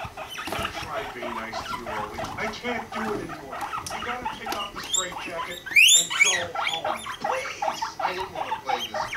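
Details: Pet guinea pigs, the male Rumply mating with the five-month-old female Fluff: dense chattering pulses with squeaky chirps and one sharp rising squeal near the middle, plus faint human voices.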